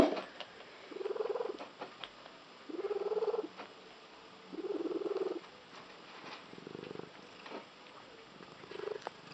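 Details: Domestic cat with an unusual purr said to sound like a tree frog: rough, buzzy bursts of about half a second to a second, repeated every one to two seconds, with faint background noise.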